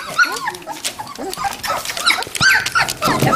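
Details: Standard Poodle puppies at Red Royal Standards near Columbia Falls, Montana, on November 22, 2013, from two litters of three and five weeks old. Short high rising-and-falling whimpers and squeaks overlap one another, with a woman's soft voice in between.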